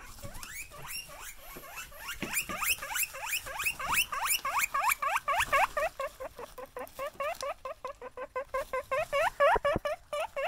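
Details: Wheeking guinea pigs, excited when they see you: quick repeated squeaky upward whistles that start softer and grow louder and denser, several animals overlapping in a rapid chorus.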